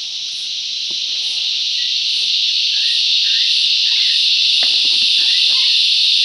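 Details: Cicadas filling the bush with loud song, rising and falling in volume: a dense, steady high buzzing chorus that swells gradually louder across the clip, with faint pulsing above it and a few brief chirps of other birds beneath.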